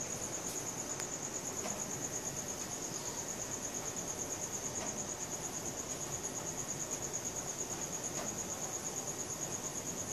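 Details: Crickets at night, recorded on a Samsung Galaxy S4: a steady, high, rapidly pulsed chirping that runs unbroken the whole time, with faint low background hum and an occasional soft click.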